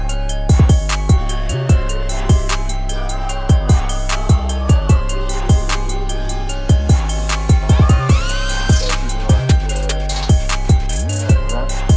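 Only music is heard, a hip-hop beat with heavy bass drum and no animal sound.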